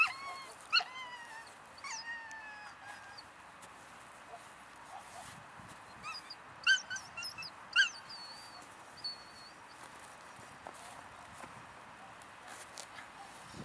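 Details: Three-month-old female German Shepherd puppy from German working lines gives a few high, falling whimpers early, then scattered short yelps mid-clip; thin high bird whistles and faint background hiss accompany.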